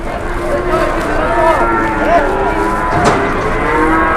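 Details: Cattle at a crowded Indonesian livestock market before Idul Adha; several short, wavering moos rising and falling, overlapping with background voices and market noise.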